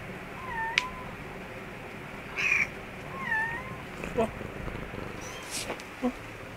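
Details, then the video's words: Mother cat with her kittens in an office store room; a few soft, thin mews rise and fall, scattered across the recording over a quiet room hum, with faint clicks near the end. "kittens with mother cat"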